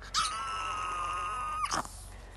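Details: In Russia, a Dobermann howls on cue when its owner asks "who is Doberman", giving a single long, steady howl that drops sharply in pitch at the end.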